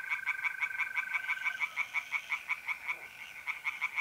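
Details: Tree frogs singing in a pond on an April night in north-east Italy: rapid, even pulses of harsh croaks, about three per second, with a steady high trill of mole crickets running beneath.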